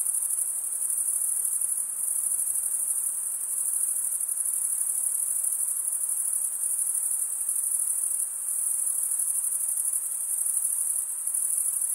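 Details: A chorus of chirping crickets, males stridulating with toothed wing veins, makes a constant high, glassy trill that barely varies in loudness over the whole stretch. No birds, voices or other noises intrude.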